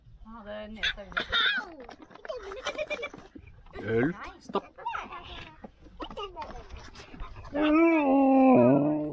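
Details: Siberian Husky puppy, stuck, makes yips and whimpers under French talking, then ends with a loud, sustained, wavering howl lasting almost two seconds.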